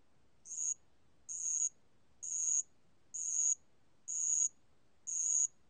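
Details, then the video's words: Band-legged ground cricket singing: high, shrill buzzy trills about half a second long, repeated roughly once per second with short silent gaps, steady and even over a quiet background. "알락방울벌레, 1번 듣기, 곤충소리"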